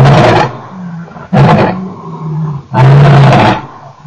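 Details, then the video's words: Male lion recorded at Nkorho on 29 September 2008: loud, harsh roaring blasts broken by short low grunting moans, three heavy bursts packed into a few seconds. "Male Lion part 2, and some bad noises after he left"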